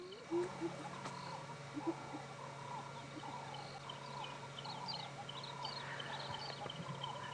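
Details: Distant hyenas give their excited, giggling laugh, a rapid run of short yelping notes rather than whoops, heard over a vehicle engine hum on a sunrise safari drive at 6:30 AM on 12 January 2017.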